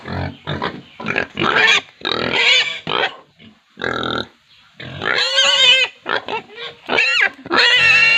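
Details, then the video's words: Farm pigs in India give rapid, shrill squeals and shorter squeaky bursts, packed closely with uneven pauses, some calls rising and falling in pitch. "sound of pigs squealing | pig squealing sound effect"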